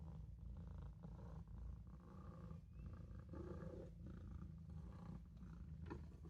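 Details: Olof, a young Maine Coon, naps in the sink and purrs nonstop: a low, throbbing rumble that swells and eases with each breath, unbroken throughout, and a faint brief squeak near the end.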